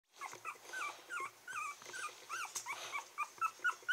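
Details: Very young Toy Poodle puppies, 22 days old and born 8 August 2014, give a rapid run of high, thin whines and squeaks, recorded 30 August in Kochi, Japan.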